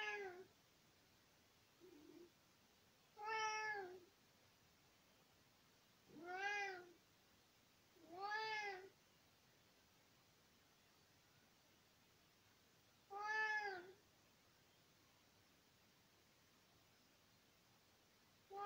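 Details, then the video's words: Nicki, an 18-year-old tomcat, talks to his owner indoors in spring 2020: five clear harmonic meows, three long drawn ones spaced about three seconds apart, plus a short soft chirp near the start, in a quiet room. "Kater Nicki erzählt - miaut"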